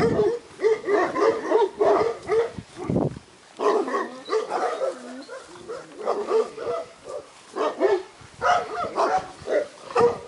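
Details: Purebred Šarplaninac (Yugoslav shepherd dog) puppies at a kennel, several young dogs yapping and yelping in dense, overlapping bursts of short mid-pitched barks with a brief pause near the three-second mark.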